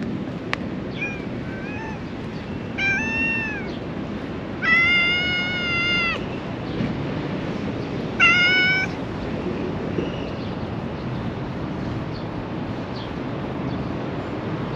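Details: Affection-seeking black she-cat with a tiny tail, filmed in Japan, gives a series of about four to five meows, short and soft at first, then two louder, longer, bright calls, with steady background noise between them.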